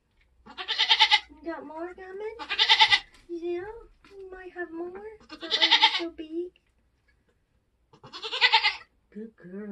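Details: Nigerian Dwarf goats being born on a homestead; loud, rasping, strained cries repeat about every two seconds, interspersed with softer wavering bleats and human speech.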